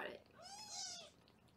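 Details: A foster kitten in Los Angeles, filmed on a live kitten cam while the kittens are being weighed, gives one thin, high meow that arches up and slides back down, over faint room hiss.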